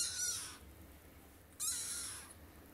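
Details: High-pitched kitten mewing while attempting to climb up on a bed: two bright, strained meows roughly a second and a half apart, each sliding downward, with quiet room hum between them.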